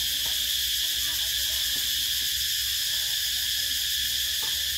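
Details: Loud summer cicadas droning without a break, a piercing steady high buzz at constant strength, faint low chirps and knocks barely audible underneath.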